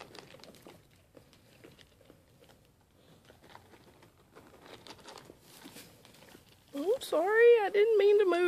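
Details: One of two Mini LaMancha goats, Maggie and Abbie, sale-barn animals growing tamer and taking food by hand. Quiet speech and rustling lead into a loud, quavering, nasal bleat that rises and falls for about two seconds at the end.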